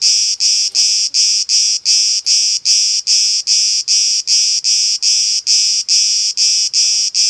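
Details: On an olive tree in Elounda, Greece, a camouflaged cicada gives a shrill, buzzing drone broken into quick, even pulses a little over twice per second, with only faint low background noise.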